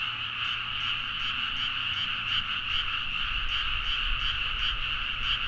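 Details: Deep-night frog chorus in a rice paddy at Nagaoka, Niigata, Japan, recorded with a Zoom H4n: thick, ceaseless croaking from many frogs, with sharper clicking pulses repeating about two or three times a second above it, plus low rumble.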